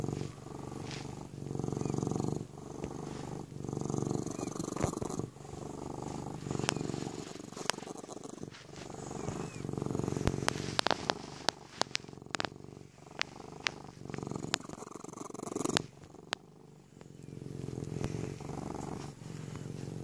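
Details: A Sphynx cat purrs while kneading: a steady, low, rumbling throb with soft scratching clicks over it.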